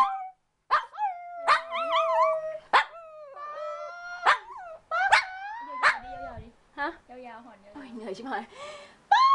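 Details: A Shih Tzu puppy being taught to howl gives wavering, high-pitched howls broken by short yips, with a person's voice alongside.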